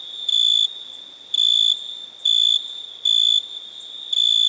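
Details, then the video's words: Cricket chirping in steady bursts, each a pure high tone lasting about half a second, repeated roughly once per second over a faint constant background hiss. "Cricket sound"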